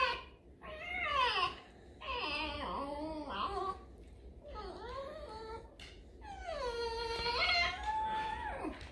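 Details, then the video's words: Alice, a pet fox, in a whining, complaining mood: four drawn-out high whimpers rich in overtones, sliding up and down with short pauses between, the last one longest and steadiest, against a quiet indoor background. "Лиса Алиса (Скулежное настроение!!)"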